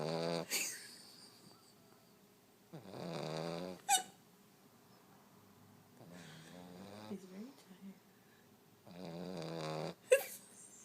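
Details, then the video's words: Snoring French Bulldog, rasping snores with wavering harmonics in three bursts about three seconds apart, broken by sharp clicks and brief louder noises. "Snoring French bulldog"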